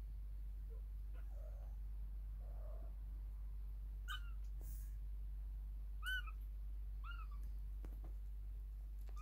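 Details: Kittens awake in their nest while their mother is not nursing or cleaning them, a recurring activity. A few soft low mews come first, then three clear, high, arched meows with a falling tail, spaced about one to two seconds apart, over a low steady hum and light rustling.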